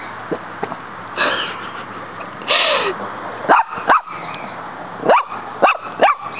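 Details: Muñeca, a pet dog fighting a praying mantis that keeps fighting back in the yard; faint yips at first, then a run of five short sharp barks, with a brief human voice in between.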